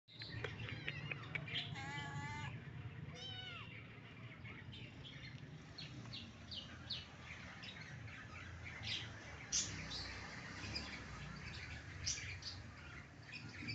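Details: Mother cat with her kittens: a run of high, thin, rising mews in the first few seconds, then scattered soft clicks, rustles and small squeaks.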